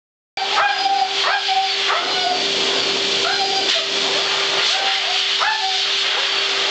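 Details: At a groomer's, a Siberian Husky gives short, wavering howls and whines, seemingly upset by the steady whine and rush of a blow-dryer.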